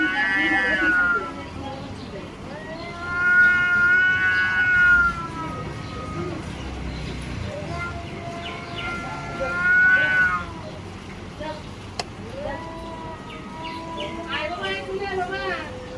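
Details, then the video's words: Cats fighting over control of an area give long, sustained, wavering yowls in several separate bouts, some rising sharply at the end, with people's voices heard between and beneath the wails. "This is a fight for control of the territory #cat fight"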